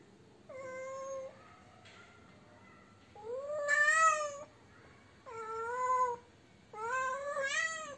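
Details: Domestic cat calling because it cannot find a mate; four long, loud wails, each held steady then rising or bending in pitch, separated by short pauses, with a quiet room behind.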